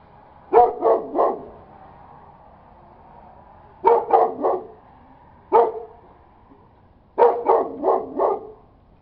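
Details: Barking domestic dog giving rapid clusters of two to four sharp barks, four clusters spaced a couple of seconds apart, with quiet gaps between.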